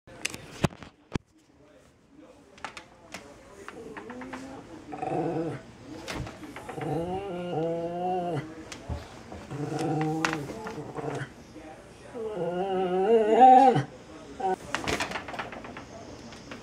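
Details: Female pet dog growling at shadows, something she does a couple of times a week: drawn-out, moaning growls with tonal, wavering harmonics in several long bouts, plus scattered clicks and knocks between them in a small room.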